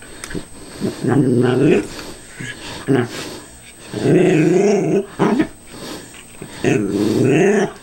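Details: Cairn Terrier growling while cautiously attacking a callous remover that is not running, indoors; three long wavering harmonic growls about a second each, separated by sharp clicks and short thuds.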